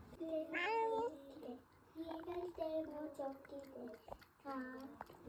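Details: A house cat meowing indoors: several drawn-out, tonal mews in a row, each bending up then sliding down, the longest near the start, with short chirpy notes between and a final wavering mew.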